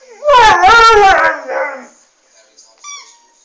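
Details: Airedale Terrier singing unexpectedly indoors: a loud wavering howl rising and falling, ending in a fading moan, followed by a brief high whine.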